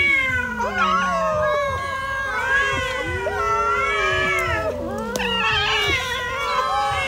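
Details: Dinner time for a hungry cat, eating its food: long wavering meows overlap one another, arching and bending in pitch, some strained and wailing, with brief sharp clicks in the background.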